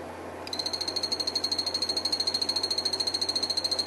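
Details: Captive group of phantasmal poison frogs, Santa Isabela form, one male and two females, in a vertical terrarium, breeding, calling while eating: a fast high buzzy pulsed trill starting after a brief pause, each pulse sharply repeated at a steady rate.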